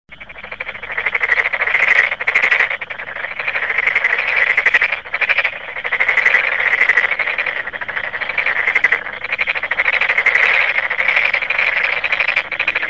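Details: Two frogs calling in a dense, continuous stretch of rapid, rattling croaks.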